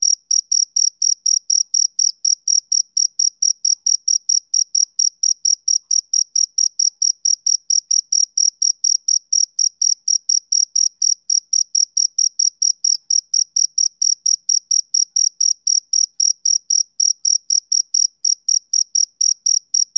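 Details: Summer-evening chirping of a male cricket, a long unbroken train of sharp high-pitched pulses at roughly three per second, steady and unchanging throughout, no other sounds in the background.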